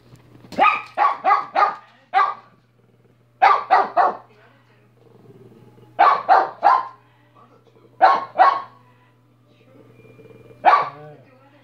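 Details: Minnie, a dog, barking in sharp, loud bursts grouped in runs of one to five, about fourteen barks in all with short pauses between groups, over a low steady hum and faint murmuring in the background.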